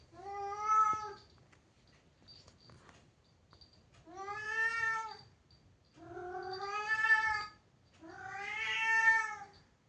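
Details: Domestic cat shut indoors behind a closed door, angry at being unable to get out: four long, drawn-out harmonic meows, each about a second, spaced by short pauses, with faint room noise.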